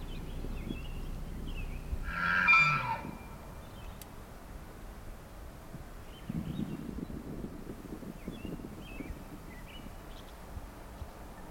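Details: The biggest bull elk bugles at a lodge one morning during the rut in Canada's Rockies, just after a fight that broke a tine: a short, high, strained whistle over a deeper grunt, about a second, then faint birds.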